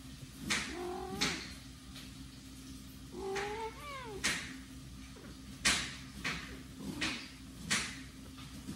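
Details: Newborn kitten, the smallest and weakest of its litter, crawling toward its mother while siblings sleep; a few thin, high mews with bent, falling contours, separated by soft rustling and handling clicks over a steady low hum.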